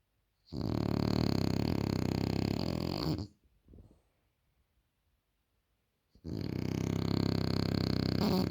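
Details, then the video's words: Sleeping French Bulldog snoring too loud: a long, harsh, throaty snore of nearly three seconds, a soft snuffle, a quiet pause, then another heavy rasping snore. "The French Bulldog Snores Too Loud"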